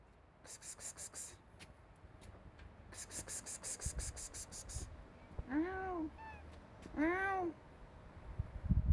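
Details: Stray cats meowing outdoors: two rising-then-falling meows near the end, after bursts of scratchy rustling and low background rumble.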